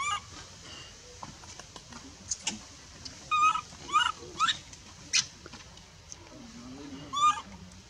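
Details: Rejected baby monkey, a female in the Bayon area, cries while her mother refuses to let her nurse; short bursts of shrill, bending wails come irregularly amid quieter background sounds and faint low voices.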